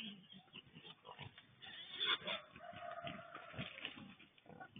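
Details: A band of wild boar visiting a garden in Kandy, Sri Lanka, 29 September 2024, heard close by: loud, rough grunting and snorting, dense and overlapping, with a harsher squealing burst near the middle.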